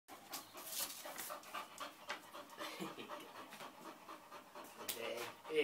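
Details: An English Bull Terrier pants in quick, breathy bursts while people talk nearby.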